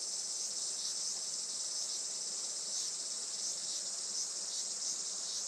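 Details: Cicadas singing on a sunny July morning around 11:30 at a traditional farm in Saitama, Japan: a dense, steady high buzzing chorus that pulses slightly, with no other clear sounds.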